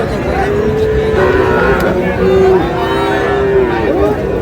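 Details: Friesian and crossbred bull calves at Raniganj cattle market, Dinajpur, Bangladesh, on 6 August: several drawn-out, mid-pitched moos of steady tone, one after another, over a constant din of crowd chatter and market noise.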